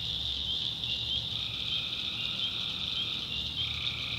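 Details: Tree frogs at night in a North Carolina backwoods swamp. A continuous high chorus hums steadily while a lower trill begins partway through and runs to the end.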